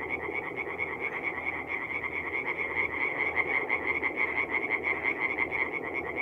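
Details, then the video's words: Forest pond at night in mid-April, North-East Italy, alive with singing tree frogs; rapid, repeated metallic croaks pour out continuously from overlapping frogs, growing slightly louder toward the middle. "relaxing forest pond by night with singing tree frogs"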